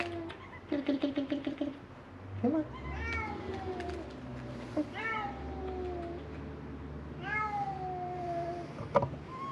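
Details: Three feral cats at a shut building on Mare Island, Vallejo, California, crying for food; a stuttering burst of short mews, then several long sliding meows, low hum and a voice in the background.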